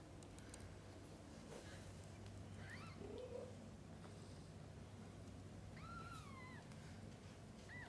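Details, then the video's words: Kittens being fed and bathed by their mother cat. A short faint mew early on, then a longer high, wavering mew, with soft rustling and a steady low hum throughout. "Mother cat feeding & bathing kittens: sounds of pure love."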